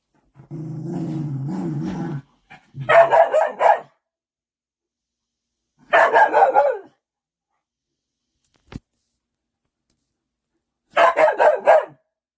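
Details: Big puppy submitting to its mother dog: a steady low droning growl lasting almost two seconds, then three bursts of rapid harsh barking spaced a few seconds apart, with a sharp click between.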